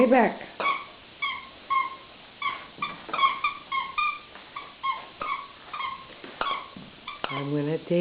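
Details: Poca, a pet dog indoors in a small room, playing with a toy she won't give back; short, high whimpering yips with ringing overtones, repeated about twice a second, while a person talks to her asking for the toy.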